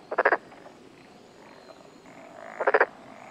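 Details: Black-spotted pond frog calling in a mountain area of Tokuji, Yamaguchi, Japan, on a June 2021 morning, filmed close up: two short rattling croaks of about four rapid pulses each, with a fainter buzzing frog sound in between.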